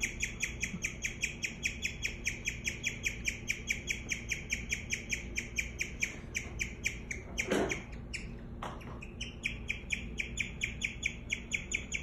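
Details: A female guinea pig chirps steadily, a high bird-like note repeated about four times a second.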